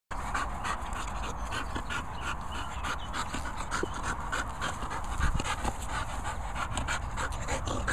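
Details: American Bulldog messing around in Worcestershire countryside; fast, steady, breathy panting throughout, a rapid rhythmic huffing with no barks.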